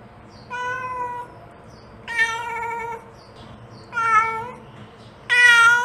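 A mother cat gives long, drawn-out meows, one roughly every two seconds, calling to her kittens.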